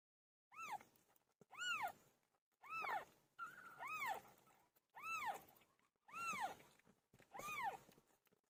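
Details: Cat PILO in labour giving birth: a steady series of seven arched, rising-then-falling meows, about one each second, clear and tonal with little background noise.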